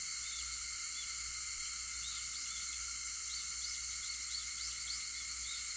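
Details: Cicadas singing at 4:50 in the morning, August 4th, forming a constant bright, ringing drone; short faint upswept chirps appear intermittently over the steady wall of sound.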